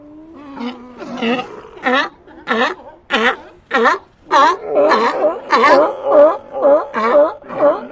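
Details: Sea lions calling in a steady series of harsh, rasping barks, about two per second, each with a wavering harmonic stack; the calls grow louder and more overlapping toward the end.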